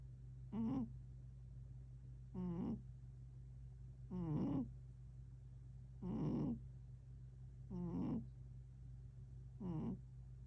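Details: A cat named Tank, recorded 11 October 2025, makes six short voiced murmurs over ten seconds. Each is rich in harmonics and comes about every two seconds, above a steady low electrical hum.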